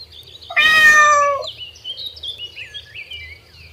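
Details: A loud, drawn-out meow, rich in harmonics and slightly falling, comes from kittens and their mother at play on green grass. Soft bird chirps continue afterward.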